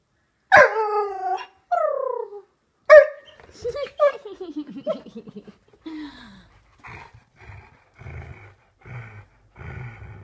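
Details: A male Labrador Husky gives drawn-out, falling moans that turn into rough, breathy growls, a muted, lion-like growl.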